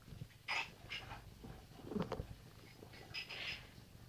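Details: Sammy, a pet cat indoors who has taken the owner's chair, answering back in a typical conversation: a few short, soft, high chirping meows, two close together early and a fuller one near the end, in a quiet room.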